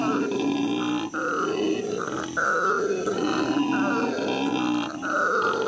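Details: At the L.A. Zoo in May 2014, captive howler monkeys give a sustained gravelly roar, deep grunting tones overlaid with buzzing higher harmonics, broken by a brief dip near the first second.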